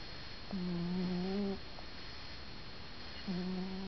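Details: Stan the grey cat snores in his sleep. One loud, low, even drone lasts about a second, then the next snore begins after a short silent gap. The room is otherwise quiet.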